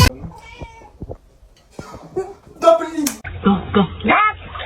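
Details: Domestic cat in a funny pet compilation giving several short, tonal meows with some wavering notes near the end, mixed with people talking and soft background noise.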